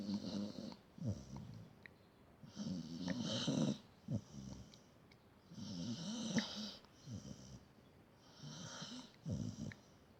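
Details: Pet dog snoring indoors in a small room: low rumbling snores with hissy breathy overtones, in rhythmic bursts about every two to three seconds, each inhale swelling then fading.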